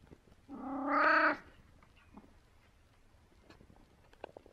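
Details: Merlin, a very talkative 17-year-old domestic cat, gives a single drawn-out meow of about one second, rich and harmonic, rising slightly then cutting off, followed by a quiet room with faint clicks and small knocks.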